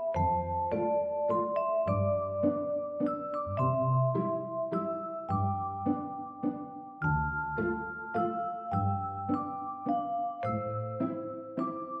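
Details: Gentle chiming music-box melody of bell-like notes stepping up and down over soft low chords, with no animal sound audible.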